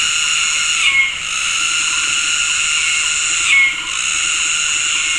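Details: Synchronized mating calls of cicadas filling tropical forest at Gunung Ledang Nature Reserve, West Malaysia, in the afternoon: an unbroken shrill buzzing wall that surges and dips twice, with soft low pulsing calls underneath.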